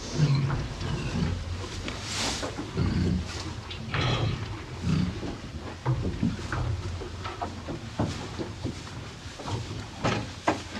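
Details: Two cows eating hay on a farm, heard up close: crunchy, rustling bursts of chewing and tugging at hay, repeated irregularly over a steady low, breathy rumble.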